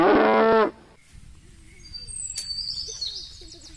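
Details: An Indian desi cow in the open gives one loud, full-throated moo that breaks off abruptly.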